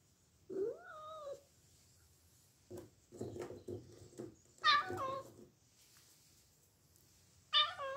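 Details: Bengal cat meowing indoors: a clear rising-then-falling meow, a pause with soft shuffling, a sharper strained meow near the middle, and a final short meow at the end, each about half a second long.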